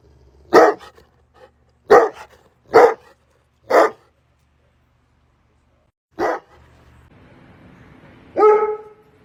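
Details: Bullmastiff giving a run of loud barks, four in quick succession about one second apart, then a pause, one more bark and a final drawn-out, more tonal bark-whine at the end.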